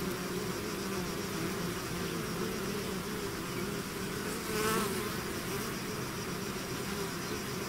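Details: Bee swarm pouring out of its hive, a dense continuous buzzing hum with steady low drone bands and overlapping wingbeats, one louder bee passing close midway.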